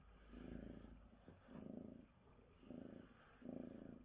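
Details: Female Bengal cat Sonya, a typical Bengal tabby, purrs during grooming with a glove; four slow, even rumbling surges roughly one second apart, deep and buzzy, with quiet pauses between breaths.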